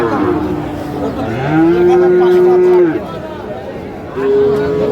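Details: Sahiwal bull at a cattle market on 31 January 2025, lowing in long, steady, tonal moos: a short one, a longer held one in the middle, then another starting near the end. Music and market background are faint.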